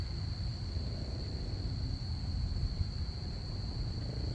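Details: A continuous thin, high cricket trill on a Saturday night, constant in pitch, beneath a heavy low rumble.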